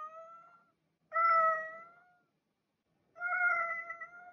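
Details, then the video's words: A cat gives drawn-out, level meows, one trailing off at the start, then two full calls about two seconds apart, each held for around a second with rich harmonics in a quiet setting. "Cat Meowing"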